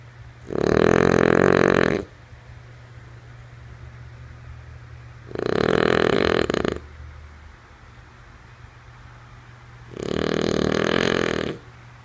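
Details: Lulu, a female French Bulldog, snoring while asleep: three rough, rasping breaths of about one and a half seconds each, roughly every four seconds, separated by quiet pauses over a faint steady low hum.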